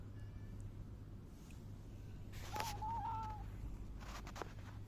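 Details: Silver tabby cat on 11 July 2024, rubbing affectionately, lets out one drawn-out wavering meow lasting about a second, with rustling bursts before and after and a constant low background hum.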